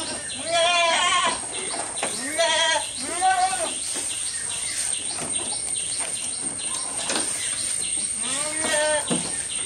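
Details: Close recording of a goat at its feed: three loud, quavering bleats in the first four seconds, then quieter munching noises, a final shorter bleat near the end, and constant high chirping behind.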